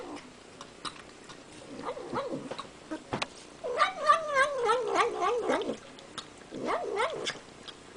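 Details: Cat eating sour cream gives bursts of wobbling, nasal 'nom nom' noises, several syllables per second, with smacking clicks and short pauses between bursts.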